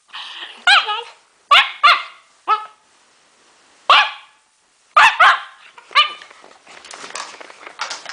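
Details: Pet dog making strange noises: a run of sharp, high yips and short barks, spaced about a second apart, each dropping in pitch, ending with a rougher, noisier stretch.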